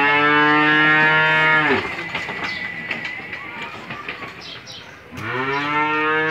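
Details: Australian-breed dairy cow, six teeth old, in her second calving with a one-day-old bull calf, on a farm in Bangladesh: two long, deep, harmonic moos, one at the start and one near the end, with a quieter gap between them.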